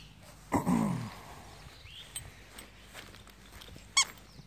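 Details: A Schipperke dog playing with a toy in the back yard gives one short, rough harmonic bark early on, followed by quiet yard background with a faint sharp tap near the end.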